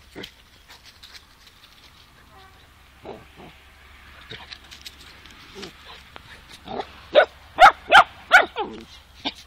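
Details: Female Tornjak puppy, two months old, confronting a German Shepherd to protect a Newfoundland companion and a person; scattered soft yelps build into a rapid run of loud, high barks near the end.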